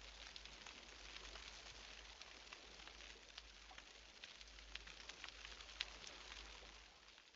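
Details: Snapping (pistol) shrimp in a Western Australian marine ecosystem fill the water with dense, sharp clicks merging into a constant crackle likened to frying bacon.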